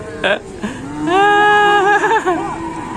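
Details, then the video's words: Fierce cow making a racket: a loud, drawn-out harmonic moo of about a second and a half that wavers, after two short grunts, with some background voices. "SAPI GALAK BIKIN RIBUT"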